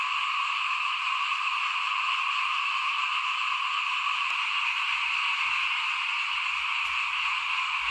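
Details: Frogs at rice sowing time, 2021, heard from in front of a house: an unbroken, evenly pitched chorus of many voices, bright and buzzy, holding at a constant loudness throughout.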